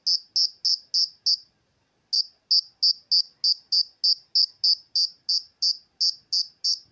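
An insect gives loud, clear chirps, about three each second, with one brief pause.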